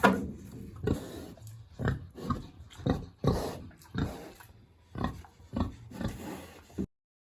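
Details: Village pig, big and hungry, in its house on a warm autumn day, grunting steadily in a string of low, gruff pulses roughly every half second to a second, then falling silent.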